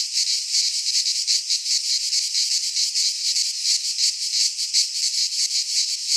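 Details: Greek pine forest in midsummer, cicadas singing: a harsh, high-pitched rasping drone with a slightly slower throb, roughly two or three swells each second, and nothing else audible.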